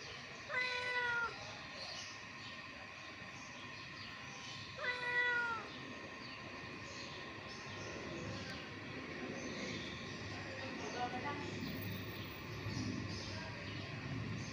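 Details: Hungry kittens squabbling over food give two short falling meows early on, then softer scattered mews and rustling amid steady background hum.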